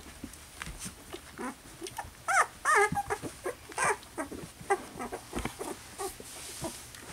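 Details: Poodle puppies from a Louisiana litter, slightly over two weeks old, give a short run of thin, wavering squeaks that rise and fall in pitch near the middle. Soft shuffling, scratching and rustling carry on throughout.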